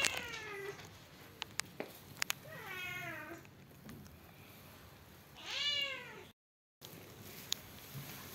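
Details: Persian cat, white and brown, giving three drawn-out meows at lower volume, the last one louder with a bending, arched pitch. Quiet pauses and brief tapping noises fall between the calls.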